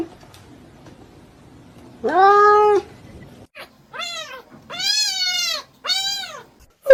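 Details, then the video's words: Kitten meowing: four clear, harmonic meows. The first is a longer, lower drawn-out meow. Three higher, arched meows follow in quick succession, separated by short pauses, over a quiet background. "kitten meowing call"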